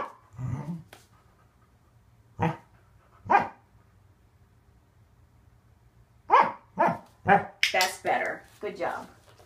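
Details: During a training session, Waffle the male Corgi lets out a few spaced barks, then a rapid volley of yappy, harmonic barks near the end, with the owner saying good boy and asking what he wants to do.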